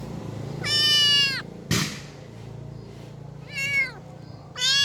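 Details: Stray street kitten left behind by its mother, giving three high, strained meows that rise then slide down, the second and third shorter, with a sharp knock between the first two and a low background hum.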